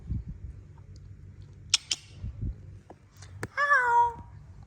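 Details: Indoors where a mother cat plays with kittens, thumps and clicks precede a single loud meow that rises then falls, while a woman murmurs in Bengali.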